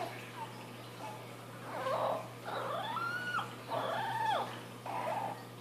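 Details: Young female Boston Terrier puppy finding her voice, howling in a series of short wavering yowls, each bending upward then sliding down, about four bursts in five seconds over a low steady hum.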